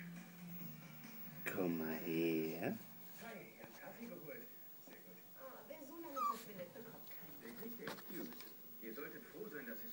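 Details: Australian Terrier at work, giving a long drawn whining call with a rising then falling harmonic tone lasting about a second, followed by softer scattered whimpers and yips amid background voices and faint music.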